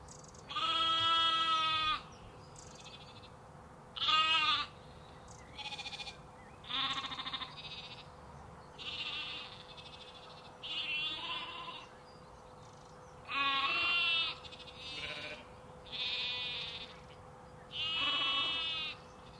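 Sheep and lambs bleat in turn, each call a wavering, nasal baa lasting one to two seconds.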